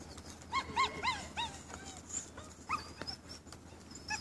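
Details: Male dogs at a dog show at Førde Camping, Norway, on 28 April; a series of short high whines and yelps, several in quick succession, over crowd murmur and an announcer.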